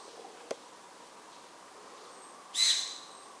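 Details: Formosan serow hiding in the wild, first spotted by eye and then found with a camera; one sudden short hissing, whistled blast with a high ringing tone, after a faint click, over quiet background hiss.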